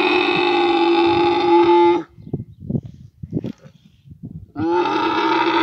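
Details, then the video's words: Camel during mating season in Abu Dhabi, giving long, loud, harmonic bellowing calls about two seconds each, separated by softer gurgling, bubbling sputters. "meeting camel in abu Dhabi camel mating season camel meeting video"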